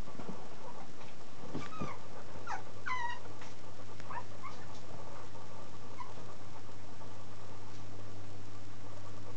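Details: Black-and-cream female Chihuahua puppy named Kuri, born 1 November, recorded 10 December, giving a run of thin, high, wavering whimpers in the first few seconds, then quieter short squeaks over a steady low hum.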